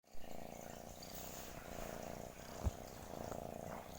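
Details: Domestic cat purring steadily: a continuous low, rhythmic rumble with a soft single click near the middle and no other clear sounds.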